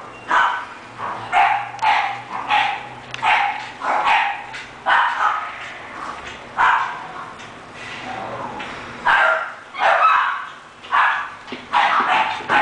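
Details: English bulldog named Taury, offered for sale by a breeder, barking in a long series of short, hoarse yaps spaced about a second apart, with a few brief pauses between bursts.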